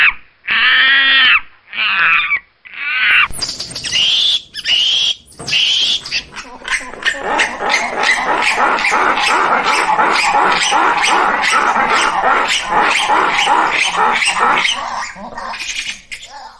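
Squirrel monkey giving tonal squeals and high whistles, then a long run of rapid, dry chattering chucks.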